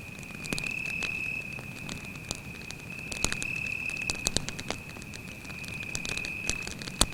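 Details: Cricket singing an even, high-pitched continuous trill at night in a forest by a campfire, with irregular crackles and occasional loud snaps from the flames.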